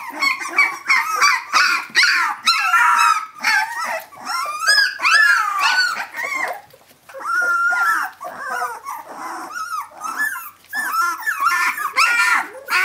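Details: Young puppies, 17 days old, calling for their mother Brenda; bursts of shrill yelps and whimpering cries from several pups, rising and dropping, broken by a brief quieter gap before the chorus resumes.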